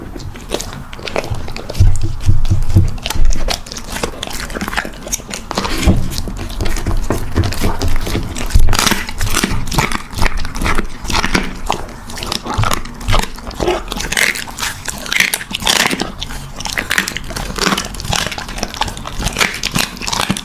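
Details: Puppy eating a meal indoors in a small room, with a steady run of sharp crunching bites and clicking chews, some louder bursts, and a faint low hum underneath.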